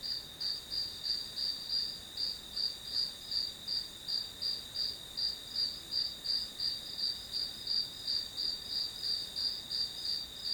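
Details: Steady chorus of grass insects used as study background noise, a bright high-pitched chirp pulsing about three times per second above a continuous thin hum.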